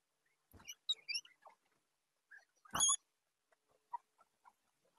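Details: Guinea pigs in a crowded house: high, thin whistling squeaks with rising overtones, a loud squeal midway, and soft chirps and shuffling between calls.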